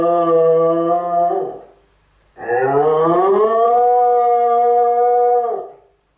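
A Cardigan Welsh Corgi gives two long, tonal howls, the second rising and holding like a siren.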